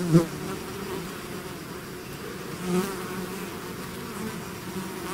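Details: Honeybee swarm out of its hive, a steady low drone of many wingbeats with bands near 200 and 400, one brief louder buzz passing close at the start and another near three seconds.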